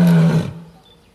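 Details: An Asiatic lion in Gir National Park, Gujarat, gives a short, deep, throaty roar that fades quickly.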